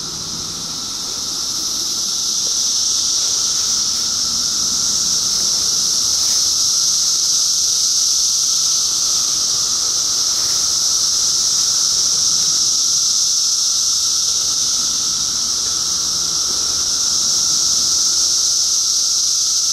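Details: Loud 2013 cicada chorus swells up over the first couple of seconds, then settles into a relentless high, hissing drone that stays even for the rest, with a thin steady tone underneath.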